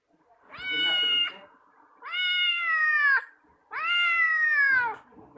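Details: Domestic cat calling in reaction to another cat's voice: three drawn-out, harmonic meows about a second long each, spaced evenly and sliding slightly downward in pitch, with faint indoor talking between them.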